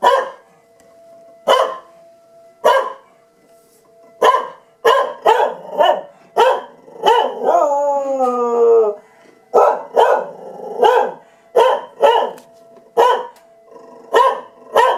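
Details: Dog named Tucker reacting to a siren test with repeated sharp barks roughly every half second, broken midway by a wavering, quavering howl lasting about two seconds, then more barking in quick runs.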